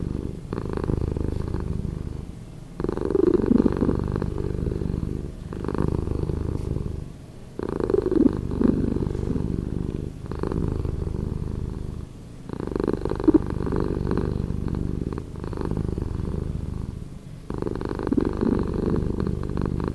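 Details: Purring house cat, edited to play slower: an unbroken low, grainy rumble pulsing in regular swells about every two and a half seconds, each loud phase followed by a softer, dimmer stretch.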